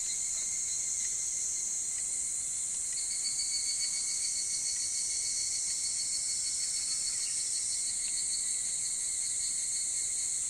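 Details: Evening cicadas calling in summer before dawn: a dense, steady high insect chorus with a pulsed, wavering series rising and falling through the middle seconds over a continuous shrill drone.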